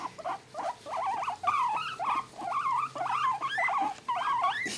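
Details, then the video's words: Two male pet guinea pigs being petted and tickled indoors give wavering, up-and-down squeaks in quick bursts, roughly two per second, with fast warbling notes throughout and soft handling noise behind. "Guinea Pig Noises"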